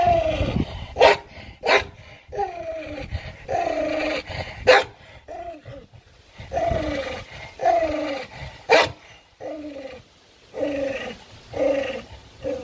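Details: Dog fighting for its food: a steady run of short, falling growls, punctuated by a few sharp barks.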